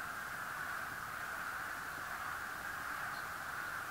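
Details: On a very warm day by an old road near Bear Valley Overlook, a large chorus of wood frogs in a strip-mine pit's water makes a steady, blurred, distant clucking murmur.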